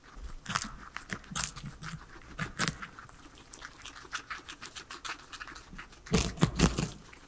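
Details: Pet guinea pigs, three of them, munching a salad of vegetables indoors; quick crisp crunching bites in a steady rhythm, a dense flurry of crunches toward the end, no voices or music.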